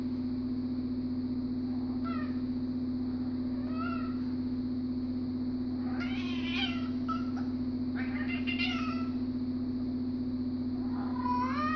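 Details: Siamese cat objecting to sharing an armchair, giving drawn-out wavering meows and yowls that grow louder and denser around six to nine seconds, over a steady low electrical hum.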